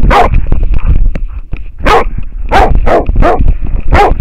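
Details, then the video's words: Close harness-camera audio of an American foxhound confronting a wild boar: about six loud, gruff barks, the last ones rapid and evenly spaced, with clicks and low rumbling movement between them. "amerikankettukoira haukkuu villisikaa / American foxhound barking at a wild boar"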